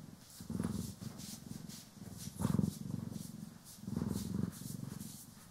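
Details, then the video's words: Cats Poki and Kiwi purring while groomed and brushed: a thick, low rumble rising in three or four strong surges, with soft hissing brush strokes in the background; stereo recording. "30 Min CAT ASMR | Purring, Grooming & Brushing"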